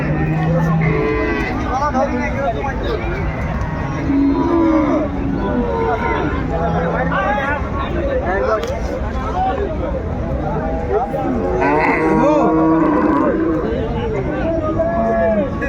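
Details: At Ambari market in Dinajpur, a crowded January cattle sale of cows and calves produces repeated moos and lowing, some low and flat, others rising and bending, over steady human talk and crowd noise.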